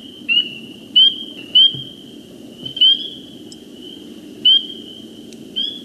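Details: A small group of spring peepers in Iowa gives clear, high, rising peeps at uneven intervals over a low background rumble.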